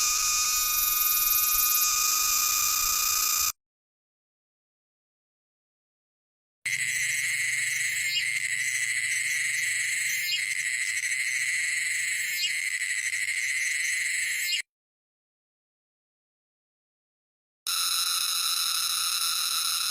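Cicadas sing a loud, steady, high-pitched electric buzz that drones on without pause.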